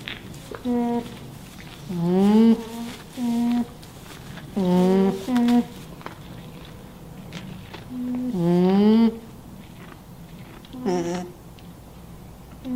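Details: An alpaca hums in soft, nasal tones, some level and some rising then falling. Alpaca.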